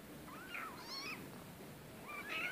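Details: Rescue cat giving thin, quiet meows, a drawn-out rising and falling whine followed by a brief higher squeak, set against soft hiss.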